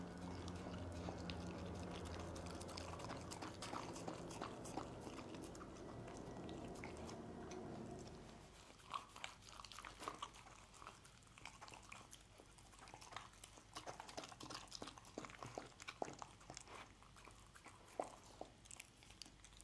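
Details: A dog named Lucy eating scrambled egg: after a stretch of background music, quick wet chewing and crunchy bites repeat several times a second, close up in a quiet room.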